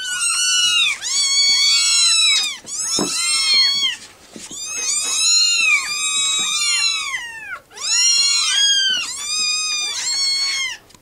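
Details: A litter of rescue kittens insisting on being fed, many shrill arched meows overlapping in loud bursts separated by short pauses, with a faint thump midway.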